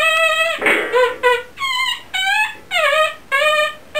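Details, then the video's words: Chihuahua billed as the Happy Birthday Chihuahua, giving a run of clear, tonal howled notes about half a second each, some rising and others falling, separated by short gaps, in a small indoor room. "The Happy Birthday Chihuahua"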